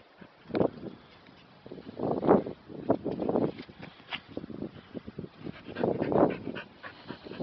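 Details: Kerry Blue Terrier practising sit and stay, giving a series of short, rough barks and yelps in uneven bursts, loudest around the middle and near the end, with some background rustle.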